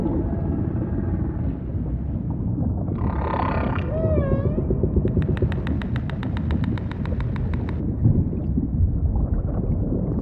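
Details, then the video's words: Humpback whale song set in ocean ambience: a buzzy burst, then a rippling upper series and a low swooping whistle, followed by a long run of rapid evenly spaced clicks, all over a heavy constant deep rumble. "Majestic Whale Song · beautiful humpback & ocean ambience"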